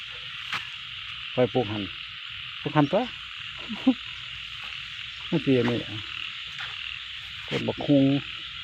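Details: Rice-field frog croaks in short, nasal, rattling bursts come every one to two seconds, about five groups in all, over an unbroken high-pitched insect hum.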